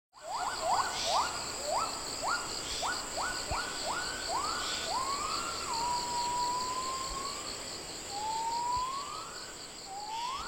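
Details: Wild Javan gibbons in fragmented Javan forest giving their morning great call to mark group territory, heard from about 5 am to 9 or 10 am: a run of quick rising whistled notes that lengthen into long upward-sliding hoots, with steady insect buzzing behind.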